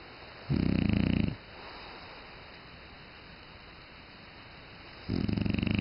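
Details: French Bulldog snoring: two loud, rough, buzzy snores about a second long, separated by a quiet stretch of steady low breathing noise.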